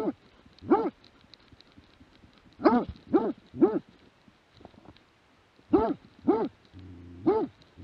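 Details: Plott hound barking in scattered bursts, 2017: one bark, a pause, three quick barks, another pause, then three more. A brief low hum is heard near the end.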